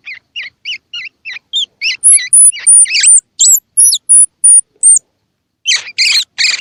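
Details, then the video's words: Baby squirrel call used to stimulate young squirrels, with eyes open or still closed, to eat: about ten short, doubled, mid-high squeaks, then a run of thin, very high whistled notes, ending in three buzzy, rasping chirps. "Tiếng Kêu Của Sóc Baby Kích Thích Sóc Ăn | Sound of Baby Squirrel"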